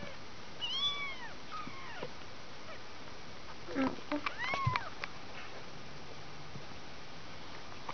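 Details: Mews from a two-week-old kitten in a litter of five: a pair of high arching cries early on, a brief sliding mew midway, then quiet room background with faint voice and rustling.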